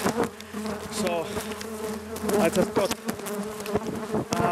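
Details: Italian honey bees in Nuuksio National Park, Finland, buzz loudly and steadily in a droning swarm, attacking in defence of their hive after it was changed from wood to polystyrene.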